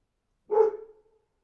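A dog gives a single short, harmonic bark that trails off quickly.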